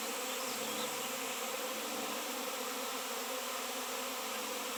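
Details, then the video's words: Honey bees in a swarm, reacting massively to a raw 7 lb shungite piece where none had appeared for years. Steady, even, droning buzz of countless wings throughout. "Shungite honey bees swarm"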